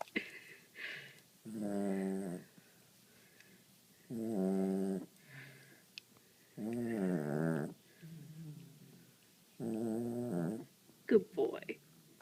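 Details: Dog snoring softly while asleep, with long buzzy, droning breaths about every two and a half seconds, separated by quieter inhalations, and a brief human voice near the end.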